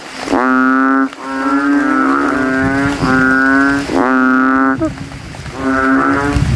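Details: Banded bullfrogs calling at night after rain from a water puddle in a cemetery, males inflating their throats and competing to be loudest; long, deep, moaning bleats of about a second each, five in a row with short gaps.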